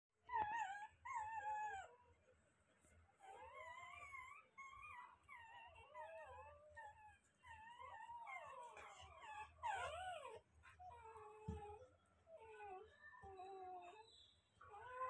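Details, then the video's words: Newly born Rottweiler puppies crying in a chorus of high, wavering whimpers and squeals, overlapping rising and falling whines with short gaps, several voices at once, growing louder and more frantic midway. "Rottweiler -||newly born puppies||"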